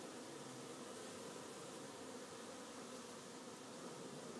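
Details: Busy afternoon hum of a honey bee hive, an even, thick buzzing drone with a mid-pitched band running through, steady in loudness throughout.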